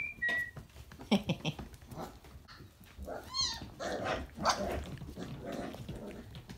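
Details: Briard puppies, four and a half weeks old, giving thin whistled whimpers and a short run of stacked, squeaky yelps amid scuffling and muffled indoor background noise.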